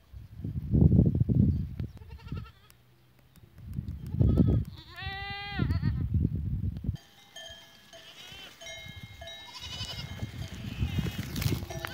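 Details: Goats recorded 14 April 2023, one clear trembling bleat with strong stacked harmonics midway, between bursts of low rumbling noise, followed by ringing bell-like tones and a few fainter bleats.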